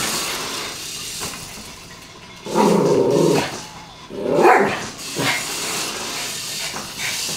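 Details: Bari, a Yorkshire Terrier, playing with a toy car, gives a few short, yappy barks with a growly edge midway, set against a steady background hiss.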